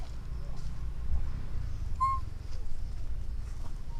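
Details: A single clear, whistled coo from an orphan baby monkey calling to its mother, short and gently wavering, rising out of a constant low outdoor rumble.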